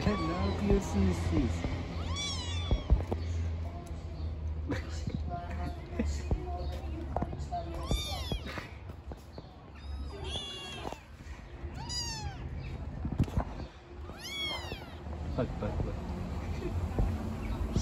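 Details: Little street kittens give a run of loud, rising-then-falling meows, roughly every two seconds in bursts, amid scattered handling noises and a low background hum.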